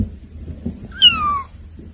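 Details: Cats that have come to see the younger kittens; a single clear meow about half a second long slides gently downward in pitch, over a steady low hum.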